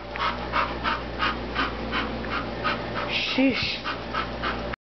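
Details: Several pet dogs worked up into excitement by a small hand-held squeaker; rapid rhythmic panting about three breaths a second, with a brief squeaky whine midway and a person's voice briefly heard.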